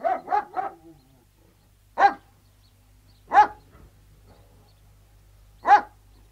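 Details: Alsatian guard dogs outdoors, three quick barks in a row followed by three single loud barks spaced roughly one and a half seconds apart, with silence between.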